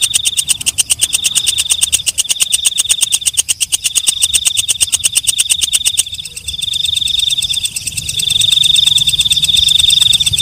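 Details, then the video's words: Walang kecek night grasshopper producing quick, crisp clicking pulses for about six seconds, then the clicks fade and a smooth, sustained shrill tone continues alone with a faint low hum. "Suara Walang Kecek/ Belalang Malam"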